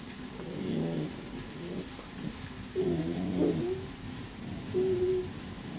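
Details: Hollywood, a gentle border collie mix, and Bowie, a new terrier puppy, playing together indoors; low, rumbling, moaning growls rise and fall in several drawn-out bursts, with a higher whining note near the end.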